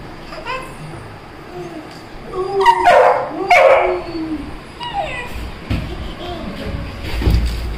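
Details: Simba, a little Labrador puppy searching for food, gives high thin whimpering yelps, then two loud barks close together, and more short yips after, with a low background rumble.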